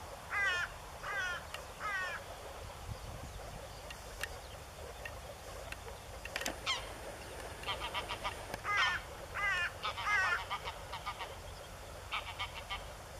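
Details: Chorus of male moor frogs in blue breeding colours near the Elbe river, northern Germany, 15 April 2013. Many short, pulsed, bubbling calls overlap in irregular bursts, with a few faint thin whistles and clicks.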